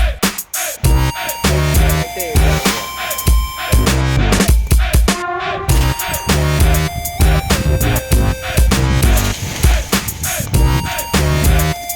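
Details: Electronic music with heavy bass beats and repeated synth notes fills the whole stretch; no animal sound is heard.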